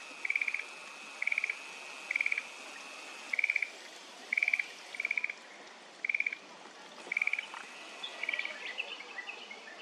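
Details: Frogs calling in chorus at Kamakura Central Park, Japan, on 17 May 2024: short rapid pulsed trills, high and rattling, repeated roughly every second, with faint background hum.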